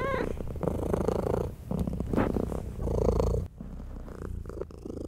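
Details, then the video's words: Mother domestic cat purring loudly indoors while nursing her tiny kittens, a low rumbling purr in pulsing bursts, with a brief high kitten mew at the start and a quieter stretch near the end. "Purring Mother Cat Nurses Tiny Baby Kittens"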